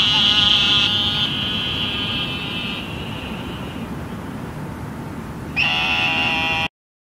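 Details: Eastern narrow-mouthed toads calling in Houston after flooding rain: long, nasal, sheep-like buzzing bleats, one lasting nearly three seconds before fading, another loud one-second buzz near the end, over a steady low rumble.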